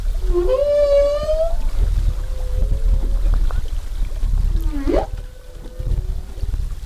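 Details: Humpback whale song recorded off Zamami, Japan, during 2018 whale watching: a long, rich, rising moan with strong harmonics, then a sweeping upward cry.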